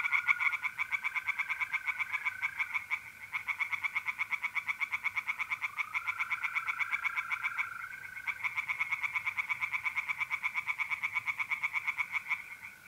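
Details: Night chorus of tree frogs at a pond in north-east Italy in mid-April, a fast unbroken train of rasping pulses running throughout, with the continuous pure trill of mole crickets beneath.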